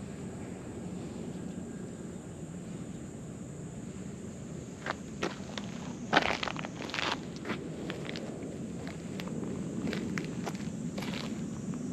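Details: Footsteps crunch over ground outdoors, with a low vehicle hum, faint rustling, and a few sharp crackles in the middle.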